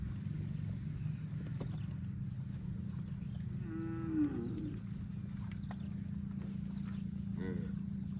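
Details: Field cows roaming: a single mid-pitched moo bending downward partway through, then a shorter, fainter call near the end, above a constant low droning hum.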